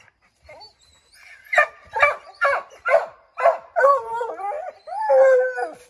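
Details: Several Redbone Coonhounds treeing a chipmunk in an oak tree, trying to send it scrambling down: rapid overlapping barks about twice a second, merging into a drawn-out, wavering howl at the end.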